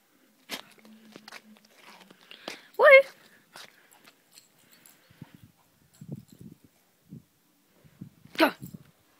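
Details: An English Cocker Spaniel playing in the snow gives a sharp, rising yelp and a later bark, with people talking nearby.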